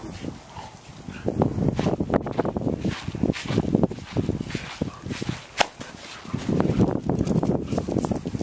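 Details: Pet dogs at play, German Shepherds, an Australian Shepherd and a Basset Hound, as Baron chases Zuko while Raven and Bella play; dense low, rough bursts of growly scuffling and short yips come in quick uneven runs, with rustling throughout.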